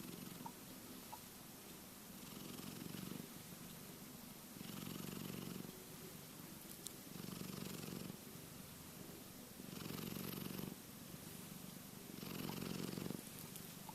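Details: Asleep and dreaming, the cat Keke snores steadily: low vibrating rumbles rise into louder breath swells about every two and a half seconds, regular through the recording, with airy hiss during each swell.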